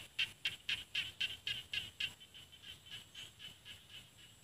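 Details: Small rice field frogs in paddy fields of Isan, northeastern Thailand, near mountains. A rapid series of short, sharp clicking calls, about four per second, starts loud and steadily fades while softer callers continue.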